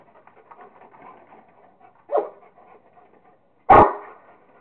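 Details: Kingston the Rottweiler at play with a squirrel: soft rustling and low murmurs, then a short muffled woof near two seconds and one loud sharp bark near the end.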